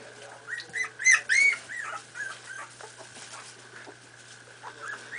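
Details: Miniature Pinscher puppies at four and a half weeks, at play, let out a few loud, piercing, upward-sweeping yips early on. Softer whimpers follow over a continuous steady tone.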